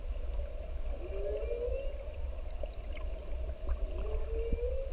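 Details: Humpback whale mother with her bubbling calf drifting toward the surface while other whales sing in the distance; two smooth rising moans swoop upward, over a steady low underwater rumble.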